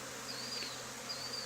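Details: Honey bee swarm settled on the wall of an old barn, two days after another hive was cut out there, being coaxed into a cardboard box with lemongrass oil. Steady dense hum fills the air, with a thin high whistled tone drifting across twice.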